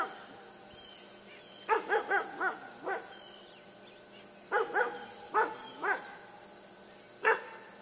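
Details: Yufie, a young pet dog, yips during play with a buck; clusters of three to five quick arched barks separated by pauses, then a single bark near the end, over a constant shrill cricket-like hum.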